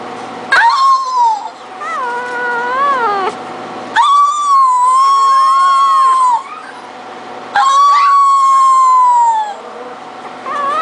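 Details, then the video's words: Three-week-old female Pug-Cocker Spaniel mix puppy howling: three drawn-out, high, wavering howls of about two to three seconds each, slightly rising then falling, separated by short pauses, with a steady hum underneath. "3 Week Old Ginger Howling"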